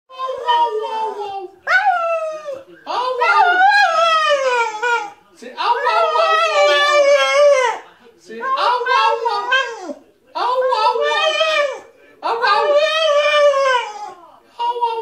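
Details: Staffordshire Bull Terrier singing its whah whah song: long wavering howled tones in bursts of one to three seconds, each bending up then sliding down, separated by short silences.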